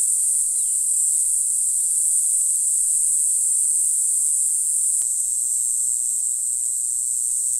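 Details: Mogannia formosana, Green Island form, recorded in April on Green Island, Taiwan, sings a continuous piercing high-pitched buzz throughout. A brief faint chirp sounds near the start, and a sharp click comes at five seconds.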